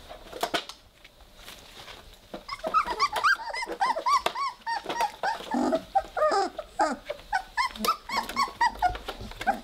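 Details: Playing Weimaraner pups aged three weeks make a quiet start of clicks, then dense chattering whimpers, squeaks and short growly yips for the rest of the clip, with a soft thump near the end.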